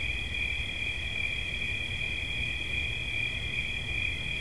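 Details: Cricket chirping as a continuous, steady high-pitched trill, with two bright tones held without pause over a faint low rumble.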